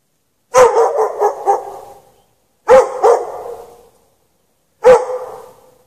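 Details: Dog barking while chained in snow at night, no shelter; a quick cluster of four barks followed by single and double barks about two seconds apart, each trailing off with an echo.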